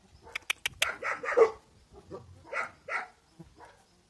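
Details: Central Asian Shepherd puppies in Russia, giving short harmonic yelps and whines in two clusters, with sharp clicks near the start.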